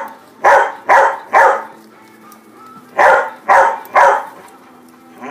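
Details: Old English Sheepdog mother outdoors in sunny Texas among her puppies, calling them with barks; two quick runs of three loud, punchy barks each, separated by a brief pause, on a quiet background.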